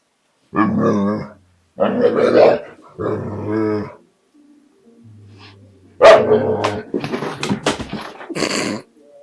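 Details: An American Bulldog, scared to take back his bottle from a Border Collie, makes drawn-out, wavering moans and grumbles, then sharper, noisier bark-like bursts.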